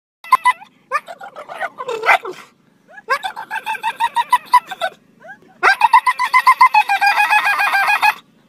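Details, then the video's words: A male English Springer Spaniel, excited by squirrels, gives rapid, high-pitched yelping barks in three bursts. "Funniest Dog Bark Ever!!! (Crazy Springer Spaniel)"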